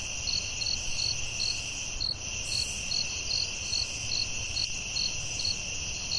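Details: Night-time forest cricket chorus, pulsed chirps roughly every half second riding on continuous shrill droning tones, a faint soft click partway through and a low hum underneath.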